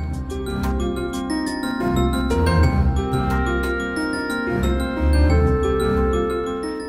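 Only music is heard, with bright mallet-percussion notes over a full low accompaniment and no animal voices.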